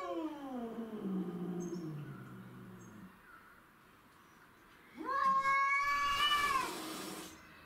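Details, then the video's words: Domestic shorthair cats fighting over territory: a long harmonic yowl slides downward for three seconds and fades, then after a pause a louder, rising, wavering wail swells sharply and holds before cutting off. "Craziest Cat Fight Compilation Video"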